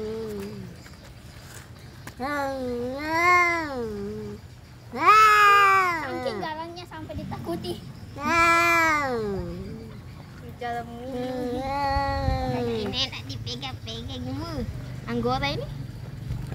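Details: Fighting domestic cats trade a run of wailing yowls, each one arching up and falling, some short and some stretched, with irregular gaps between them and faint background noise.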